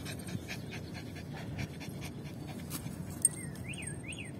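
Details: Yorkshire Terrier named Lucy panting after fetching a ball: quiet, rapid breathy puffs in a steady rhythm over a low hum, with a few faint chirps near the end.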